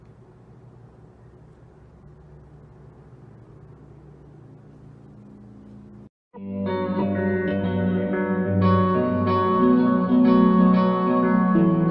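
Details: A faint low hum for six seconds, then a brief silence, followed by loud plucked guitar music with echo that continues to the end.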